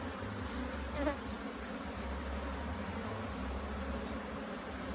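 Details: Jamaican hive being inspected, bees filling the air with an unbroken low-pitched drone, even and steady throughout, a single short tap heard early on.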